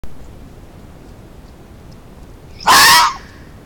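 A fox gives a single harsh, hoarse alarm bark, sudden and loud against a quiet background.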